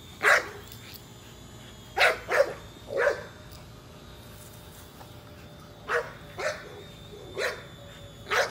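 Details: American Bully named Nola chasing a drone, giving short, sharp barks in loose clusters of two or three with pauses between, a thin high drone whine running underneath.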